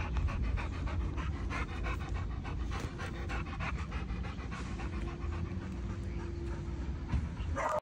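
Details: Pet pit bull panting steadily: rapid, breathy rhythmic puffs of noise, several per second, continuing throughout, with a low steady hum in the background.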